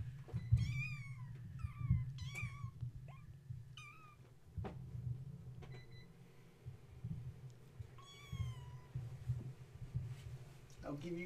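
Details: Gaia's kittens, stirred up at bedtime indoors after a space heater was switched on, playing instead of nursing; repeated thin high mews with downward-bending tails in quick bursts, over a constant low hum and occasional knocks.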